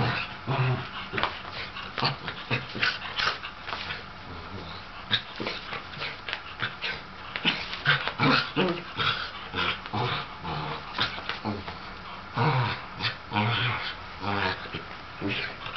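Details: Older sable Shetland sheepdog, excited and wanting to play with a younger ginger tabby cat, gives a busy stream of short yips and whines, some clustered rapidly, others spaced a second or so apart, with a few low growly notes.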